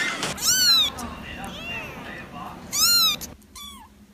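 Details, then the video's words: Domestic cat meowing: two loud, arched meows with rich harmonics about two seconds apart, softer mewing between them and a short thin mew near the end. "Vidio kucing mengeong lucu"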